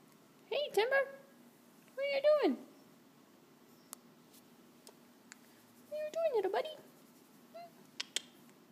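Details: Indoors, the house cat Jax insists on being understood during a work-from-home day, uttering three drawn-out rising-and-falling meows spaced a few seconds apart, plus a brief soft squeak and faint clicks.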